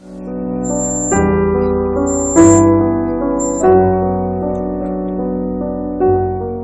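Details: Gentle electric piano chords ring out in slow sustained notes, with no animal sound present.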